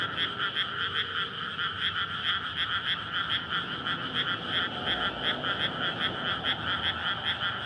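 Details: Night chorus of frogs in a flooded paddy in May, gathered to court and breed after the field is filled with water. Steady throbbing croaks repeating quickly, dense overlapping voices, faint low background hum.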